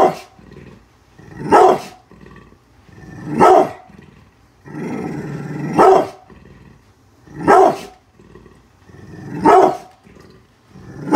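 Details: A brindle pit bull called Bullet, unhappy with construction workers outside the house, alternates heavy barks about every two seconds with a drawn-out throaty growl in the middle of the sequence.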